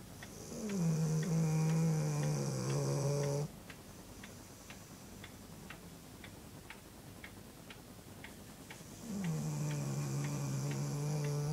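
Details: Sleeping dog named Harriet snoring indoors: two drawn-out, low nasal drones, each starting slightly higher and settling into a steady hum, separated by a quiet pause of several seconds filled with soft regular clicks like a clock.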